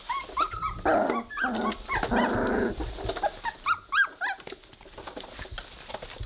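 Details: Three-week-old Weimaraner puppies playing together indoors give short squeaky whines that rise and fall, with a rough, buzzy growl through the middle and soft rustling and scuffling between calls.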